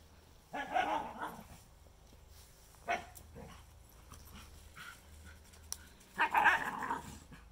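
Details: Two primitive dogs, a Shikoku and a Karelian Bear Dog, romping on a newly thawed pond, with Koya trash-talking as normal play noise; scattered growly barks and grumbles separated by quiet gaps, a harsh burst near the end.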